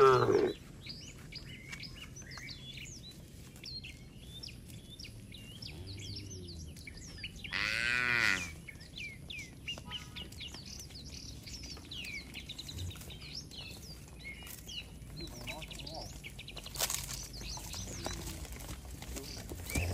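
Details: Cattle walking home along a village road with the herder who tends them: a faint low moo, then a louder arched moo around eight seconds in, against steady chirping and twittering birds and occasional brief clatters.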